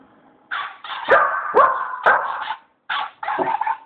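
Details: Two Border Collies; a series of five sharp, ringing barks about half a second apart, with a brief pause before the last two.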